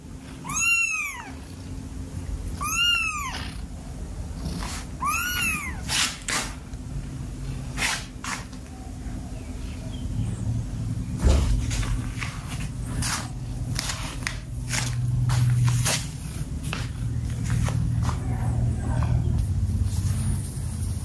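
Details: Kittens playing with a rope: three clear arched meows in the first five seconds, then scuffling, tapping and thumping sounds of play over a continuous low rumble.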